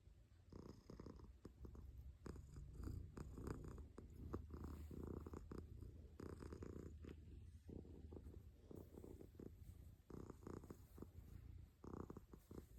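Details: Domestic cat purring steadily, a low rumbling pulse with rhythmic swells roughly every second as the cat breathes in and out, continuous throughout with no other clear sounds.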